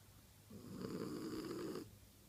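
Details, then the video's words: A female French Bulldog snoring in her sleep indoors: one long, rough, rasping breath lasting just over a second, low and buzzy, rising out of a quiet room and fading back to silence. "French Bulldog snoring in her sleep"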